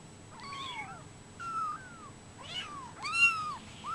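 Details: Four clear, high mews from brown Bengal kittens aged 24 days, each a slurred arching cry under a second long, the last one loudest and most piercing.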